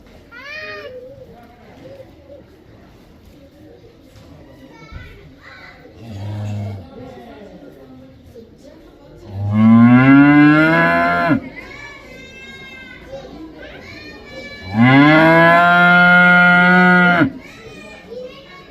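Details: Cow calling with two long, loud moos about five seconds apart, each rich in harmonics and falling at the end, plus a shorter, fainter bellow earlier and other quieter calls in the background.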